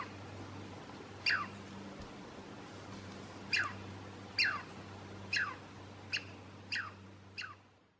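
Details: On a hike to Stump Lake in Alice Lake Provincial Park, a Douglas squirrel (Tamiasciurus douglasii) gives sharp, descending alarm chirps at irregular intervals over a low hum.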